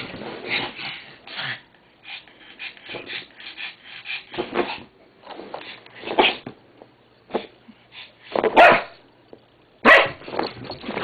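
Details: A Shih Tzu and a pug playing together indoors: scattered short yips and barks and scuffling sounds, with a few louder sharp barks near the end.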